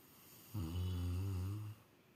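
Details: A Rottweiler snores in its sleep with one long, deep, rumbling breath lasting just over a second.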